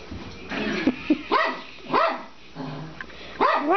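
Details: Suzy-Q, a 12-year-old female Papillon, playing with her bone, throwing and chasing it indoors; short high yips and rising barks come in quick bursts about every half second, with a few soft whines between.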